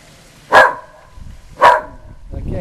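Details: Female whippet going berserk at the Goodyear blimp in South Florida: two sharp barks about a second apart, followed by a woman's voice speaking.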